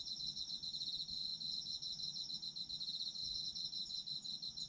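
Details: Steady night-style chorus of autumn insects, meant for sleep: an unbroken, high, buzzy trill of rapid pulses with layered faint chirps above, over a quiet low rumble.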